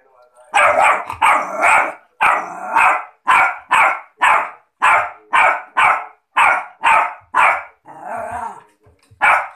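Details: A 3-month-old Rottweiler puppy barks in a steady string of short, fairly high yaps, about two each second.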